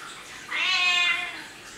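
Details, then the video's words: A domestic cat, shown as a talking cat, utters one clear meow of about three-quarters of a second, starting sharply, holding a high harmonic pitch, then sliding slightly downward and fading into a quiet room. "Talking Cat Говорящий Кот"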